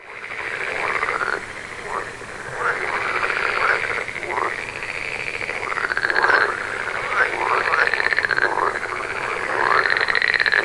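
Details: In a forest near an Indian village, green tree frogs croak: nasal, honking croaks in quick, overlapping succession, several calls every second.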